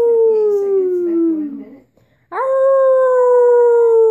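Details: A puppy howling: a clear, tonal howl that slides steadily downward for about two seconds, a short silence, then a second howl that jumps sharply upward and holds a long, slowly falling note.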